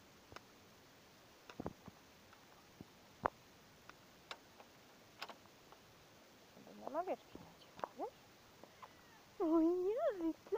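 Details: Domestic cat meowing while out on a walk with its owner, having recovered from illness; a sheep pen nearby. Sharp clicks and taps early, then wavering rising-falling meows near the end, the last one loudest and longest, with the owner talking.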